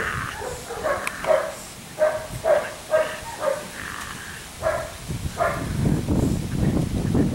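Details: Six-week-old Belgian Malinois puppy, a police and protection prospect, tested with shotgun gunfire, whip, stick and full-mouth bite work; short harmonic barks or yelps repeat about twice a second, then give way to loud low rumbling noise.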